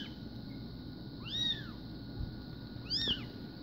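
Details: Two separate thin, arching mews from newborn SBT Bengal kittens born 04/02/2016, over a noticeable low-frequency background rumble.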